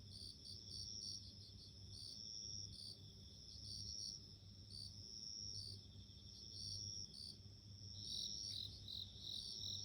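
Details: High, clear ringing notes from bell crickets, pulsed chirps repeating about every second over a continuous trill, with a steady low hum behind.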